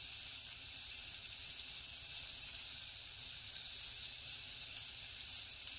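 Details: Jungle crickets at night produce an unbroken, sharp high-pitched drone, while brighter pulsed chirps come through above it in quick repeated bursts; no birds, voices or wind heard.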